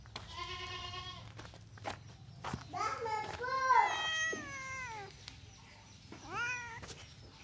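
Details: Domestic cat meowing: a short tonal call, then a run of drawn-out harmonic meows that rise and fall, and a final shorter falling meow, over a steady low background hum.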